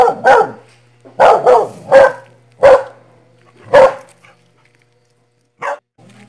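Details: Puppy barking in a series of short, sharp, high yips, roughly one every second for four seconds, then a pause and a single further yip; a faint low hum runs underneath.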